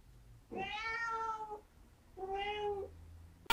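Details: Larry, a four-month-old cat on a leash in southern Italy, gives two clear harmonic meows in a quiet room, the first long and slightly falling, the second shorter, with a faint low hum in the background.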